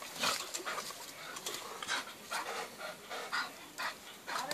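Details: Bulldog breathing hard in rhythmic, breathy, noisy snorts, about two per second, with short gaps between bursts and no other clear sounds.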